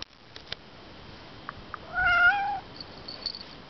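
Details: A cat at Monju Temple gives one drawn-out meow of about half a second, clear and tonal, slightly rising then falling at the end, preceded by a few faint taps and clicks against a quiet background.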